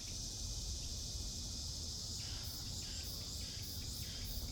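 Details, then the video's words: Cicadas in a Seoul forest in midsummer: a steady, high, shimmering insect drone throughout, joined after two seconds by a second caller's rapid pulsing bursts, over a low background rumble. "서울에서 매미소리 들어보세요"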